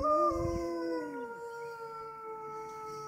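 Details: Captive wolves at the Toronto Zoo, Canada, howling near closing time: two overlapping steady tones, one sliding downward and fading while the other holds level, with a short thump at the start.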